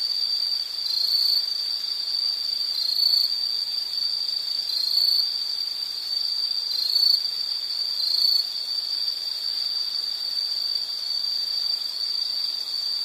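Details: Insects singing in a background nature recording: a constant high trill with brief brighter chirps rising out of it every few seconds, over a quiet hiss.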